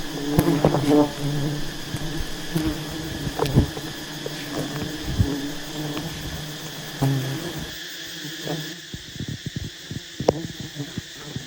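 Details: Honey bees at a giant wild nest, disturbed as skilled honey hunters approach and harvest the honey; a steady low droning hum with layered harmonics, broken by sharp clicks and knocks, quieter toward the end.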